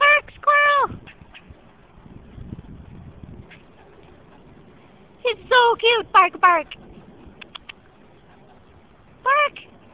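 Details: Squirrel barking in a threatening display, shaking its tail with every bark: short, harsh, downslurred barks in bursts, with a quick pair at the start, a run of about five in the middle and a single bark near the end, with faint low murmuring between.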